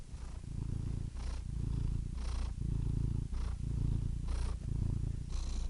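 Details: A close, deep cat purr: a rumbling, vibrating drone rising and falling with each breath, with a short breathy hiss between cycles, roughly every second.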